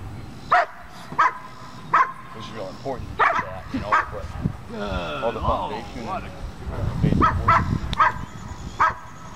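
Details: Ellie, a puppy in bitework training, barks in a few short bursts spaced about a second apart, then human talking and handling noise take over.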